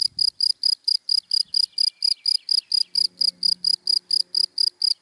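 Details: Cricket in dry daytime grass chirping rapidly and evenly, sharp high pulses about two per second, with a faint low droning tone entering partway through.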